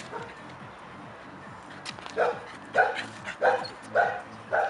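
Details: Three-month-old Labrador Retriever puppies racing about, one giving short yappy barks roughly every half second over a low steady hum.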